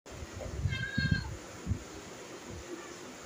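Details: Domestic cat giving a short, clear harmonic meow lasting about half a second, steady and slightly tonal, while people talk in low voices close by and some rustling is heard.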